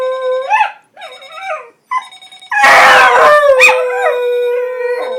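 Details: Charlie, a pet dog, howling at an alarm clock; short quavering howls, then a loud rough burst followed by a long steady held howl, beeping audible underneath.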